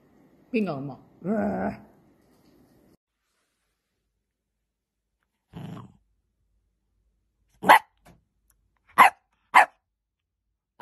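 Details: Playful miniature dachshund opening with two rough, drawn-out growling grumbles, then quiet, then a soft grunt and three or four short, sharp barks spaced about a second apart near the end.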